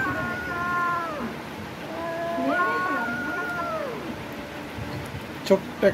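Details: A small village kitten feeding on raw chicken lets out two wavering, falling meows about two seconds apart while a man speaks. A few sharp clicks come near the end.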